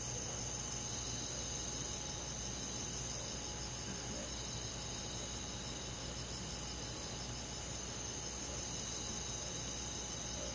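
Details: Crickets with other forest insects chirping through a summer night in the countryside, several high pulsed trills overlapping at about four beats a second, steady and unbroken, with low background hum.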